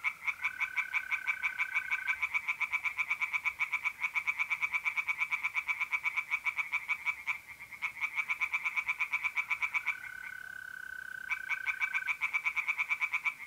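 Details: Night chorus in mid-April at a pond in north-east Italy: tree frogs pour out quick pulsed croaks with short pauses, while trilling mole crickets add steady unbroken tones at the start and near the end.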